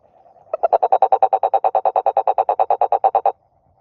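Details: A toad croaks in one rapid, steady train of about twenty-two short, throaty, mid-pitched pulses lasting nearly three seconds, then stops abruptly, with a quiet background and a soft hum before it starts.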